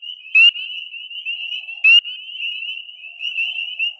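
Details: Spring peepers (Pseudacris crucifer), tiny X-marked frogs, in early April: sharp, high, rising peeping calls over a constant shrill chorus of more peepers.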